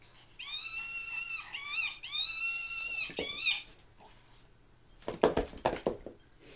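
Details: Two pet Maltese dogs at play, one giving a long, high, wavering whine in drawn-out phrases, followed by bursts of scuffling and snuffling.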